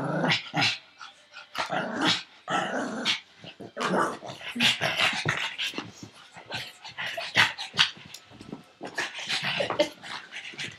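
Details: Pug named Frankie chasing a tug toy held in an owner's arm, flipping over during play; dense run of noisy, breathy bursts and rough snorts, near-continuous, with short growl-like rasps between.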